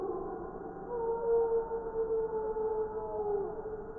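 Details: Gray wolves howling together in Wisconsin in December 2019; a strong, steady, long-held howl dominates, with higher overlapping voices gliding above it and a slight downward bend near the end.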